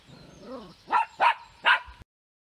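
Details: Maggie, a female West Highland White Terrier in Germany, starts with a soft wavering whine, then fires off three loud, evenly spaced barks before falling silent.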